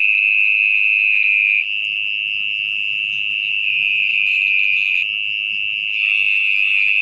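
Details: At night, from a burrow in soggy earth, an orong-orong (mole cricket) sings a continuous shrill trill. Its level steps slightly up and down but it never pauses. Soft rustling of digging sits underneath.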